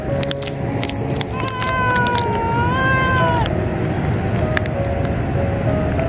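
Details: Female cats of a colony made up only of females, threatening one another while being fed; one drawn-out, wavering harmonic yowl lasting about two seconds, with background music throughout.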